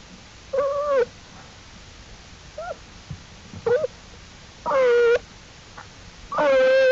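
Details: Black bear cubs of Jewel, exploring outside the den with their mother on April 2, 2012, at the Wildlife Research Institute: five short tonal wails, some bending downward, with rich harmonics and quiet pauses between them.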